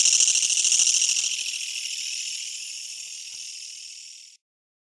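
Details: Kutsuwamushi katydid, as tentatively identified, close to home: a harsh, rapid, pulsing buzz that starts loud, gradually weakens and then stops abruptly, leaving silence.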